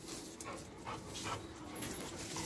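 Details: An adult female Miniature Pinscher in Jaipur gives a few short, thin whimpering squeaks while a person calls to it nearby.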